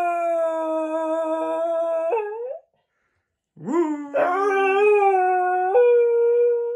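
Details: Birthday howling by a male Scottish Terrier from south London who has just turned four. A long level howl ends with a falling slur, then after a silent pause come rising, scooping howls that settle into a steady tone.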